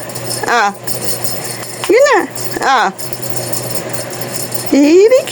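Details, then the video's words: Talking cat uttering several quick meows, arching up and down in pitch, and ending on a long rising call, with soft rattling in the background. "TALKING CAT"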